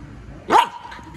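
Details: Puppy frustrated at not being allowed to chew a hand gives a single sharp yappy bark, a brief loud burst that falls in pitch, leaving a faint tonal ring afterward, indoors with quiet background.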